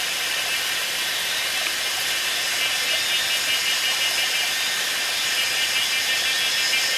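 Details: Kaempfer's cicadas call at 17:52 on 19 May 2016 by a small waterfall on a mountainside in Pinghe Village, Taiwu Township, Pingtung County, Taiwan, filling the air with a steady, high, hissing buzz that never breaks.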